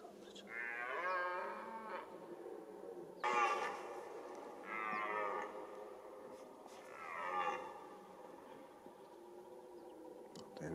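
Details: Red deer roaring during the rut, the mating season: four drawn-out, hoarse, harmonic bellows, each lasting about a second and sliding downward in pitch, separated by short pauses, with a quiet outdoor background.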